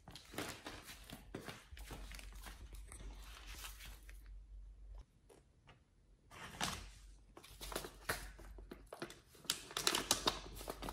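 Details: nomyen the Pit Bull tears into raw fish and duck feet, a raw-fed meal: sharp crackling crunches and tearing sounds in dense runs, a near-silent pause around the middle, then renewed crisp snapping bites.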